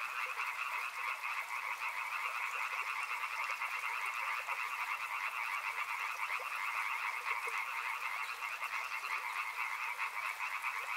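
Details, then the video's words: Many frogs chorusing near a river, their pulsed, raspy trills merging into a constant shimmering drone that never pauses, with scattered lower clicks underneath. "Soothing sounds of river and frogs"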